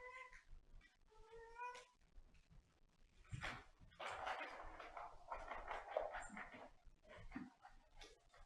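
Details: Catterns, a pet cat, gives two clear meows in quick succession at the start, each slightly rising. Louder rustling and handling noise follow and fill the rest of the recording.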